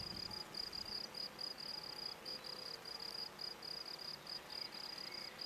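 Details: Field crickets (Gryllus campestris) on a sports field in Brasschaat, Belgium, a habitat since destroyed, sing a steady run of high, shrill chirps, several each second.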